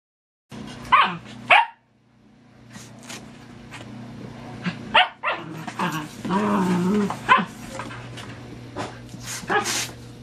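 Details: Several Dachshunds together in a box give sharp, scattered barks, with a brief growling, whining stretch in between.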